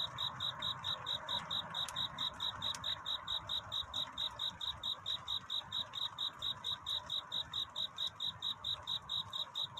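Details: A cricket calling for love through the night toward dawn. Evenly paced, shrill chirps follow one another about twice a second for the whole stretch, with faint ticks and a low hum beneath.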